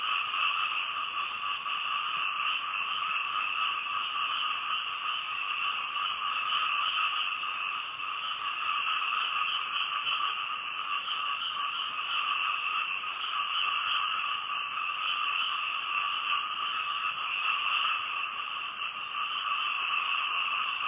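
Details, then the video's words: Frogs calling at night near a house in Thailand: a dense, unbroken chorus of overlapping calls forms a steady droning hum with a lower and a higher band, pulsing slightly throughout and never pausing. "Night Time Frog Sounds"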